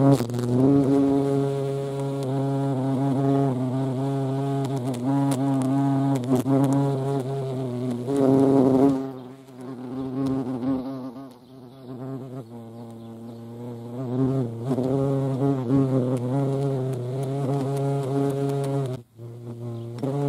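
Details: European hornet (Vespa crabro) at a feeding place: a deep, steady droning buzz with rich harmonics that swells and fades as the insect moves, dipping briefly mid-way and again near the end.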